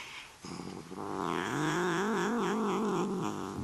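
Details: Playful, talkative Desert Lynx hybrid cat, a neutered male pet, starts with soft rough sounds, then swells into a loud drawn-out warbling yowl whose pitch wobbles up and down before fading.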